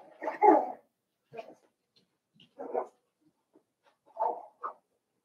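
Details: Cavalier King Charles Spaniel puppies, seven weeks old, in a puppy pen inside a family home: short, rough yipping whimpers in four bursts about a second apart, with quiet gaps between.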